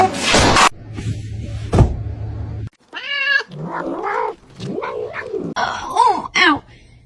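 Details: Kittens meowing and crying: a few short arched mews with rising and falling pitch, separated by pauses, after a burst of noise and thumps at the start.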